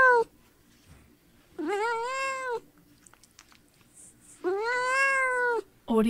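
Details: Kitten in nature uttering two sustained, plaintive meows about three seconds apart, each arching up and holding steady, with near silence between.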